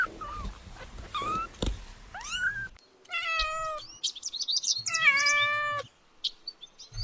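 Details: Mewing kittens stalk butterflies in grass; thin, rising squeaks and small cries open the passage, then fuller, steadier meows follow, one long and loud near the end, with short quiet breaks between.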